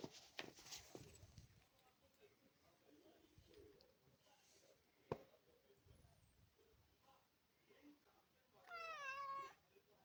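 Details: Male Maine Coon cat, a large breed, born July 2021, in a family home: quiet household sounds and soft human voices, then one clear, loud meow near the end that starts high and slides downward.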